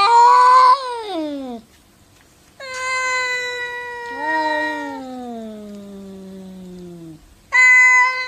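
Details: Cats arguing with each other indoors: loud, drawn-out wailing meows, one sliding downward into a long low moan, overlapping higher yowls, then a sudden sharp high meow at the end.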